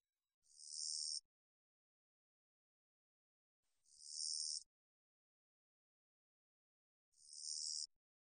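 A long-winged katydid gives high, dry buzzes under a second long, repeated every three seconds or so.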